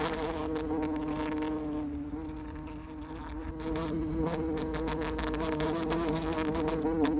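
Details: Bumblebee buzzing in flight: a sustained low hum with stacked overtones, the pitch gently wobbling up and down as the insect moves, staying unbroken throughout.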